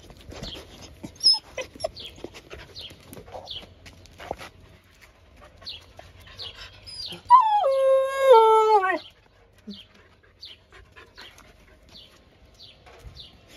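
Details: Blue-eyed Siberian Husky Nova howls with joy at a lunchtime visit: a drawn-out, wavering howl of about two seconds that steps down in pitch, with soft snuffles and small yips around it.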